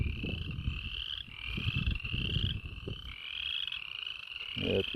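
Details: Many frogs calling at a farm stream where cows have trampled the bank: steady rising pulsed notes repeated about every second, with low footsteps and rustling throughout.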